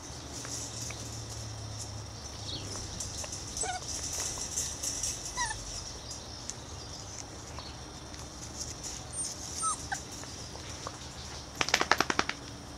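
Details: Six-week-old Irish Terrier pups lying out enjoying the sun; a few brief, high, squeaky whimpers rise and fall now and then over a steady outdoor hiss, with a quick burst of sharp clicks near the end.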